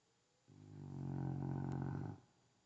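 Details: A single deep snore from Kyzer, a rescue dog asleep indoors: a rough, rumbling inhalation lasting about a second and a half that swells and then fades, with no other sounds around it.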